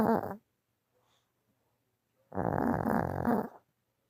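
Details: A dog snoring as it sleeps when tired, indoors in a small room: rough, rattling snore lasting about a second, then a quiet gap, with a short snort at the start.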